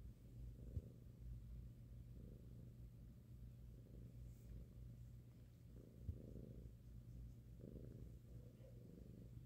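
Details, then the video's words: Five-month-old male domestic cat cuddled on a lap, purring loudly while his head is massaged; a continuous low rumbling purr swelling and easing in regular breaths, with two faint clicks. "Cute cat purrs loudly when his head is massaged"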